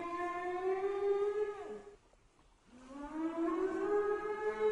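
A whale gives a long, rich moan that slides down, breaks off, then swells back up.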